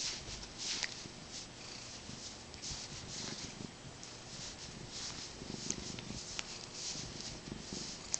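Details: Domestic cat named Ozzie purring while being petted indoors, kneading and turning feisty; a steady low rumbling purr runs throughout beneath scratchy rustling and handling noise.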